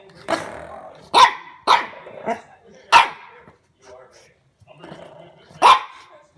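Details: French Bulldog puppy indoors, discovering a door stopper at home: sharp, husky barks in short bursts with uneven gaps, some growly, while a woman talks and laughs between them.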